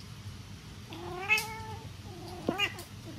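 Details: Norwegian Forest Cat meowing cutely as it hugs: one smooth, sustained meow followed by a short, sharper upswept meow, indoors and quiet.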